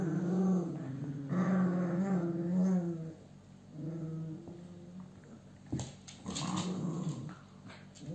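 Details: Cavalier King Charles Spaniel male growling indoors in low, rumbling bursts during the first three seconds, then quieter grumbling with brief rustling and a few sharp knocks toward the end.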